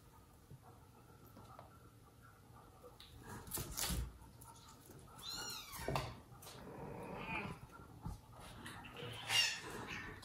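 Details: Mother cat Jaco's household with kittens and foster kittens, where the dad cat scolds her for straying; a short wavering meow midway among knocks, shuffling and quiet indoor movement.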